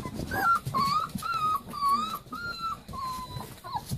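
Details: Leonberger puppies playing, giving a run of high whimpers and whines, each a steady or gently wavering tone, repeated about twice a second with short breaks, over soft rustling and low thumps.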